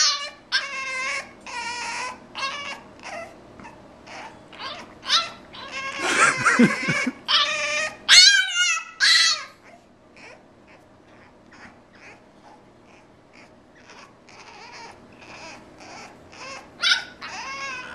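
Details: A French Bulldog kept from coming out to play voices plaintive, wavering high whines in uneven bursts, with a louder noisy, cry-like stretch in the middle, then softer, sparser whimpers before one last loud whine near the end.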